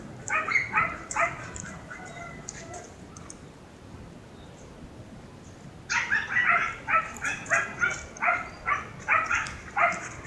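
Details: Siberian Husky about a year old, out on a relaxing walk with its owner on a clear day. After a quiet stretch comes a run of sharp, harmonic yips and short barks, roughly two per second, with faint outdoor background.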